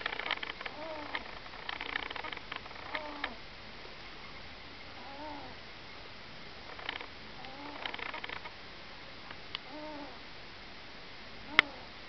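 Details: Yuki, a pet ferret, asleep and snoring: soft, squeaky little snores with faint tonal arcs recur every one to two seconds over a steady background hiss, with a few sharp clicks.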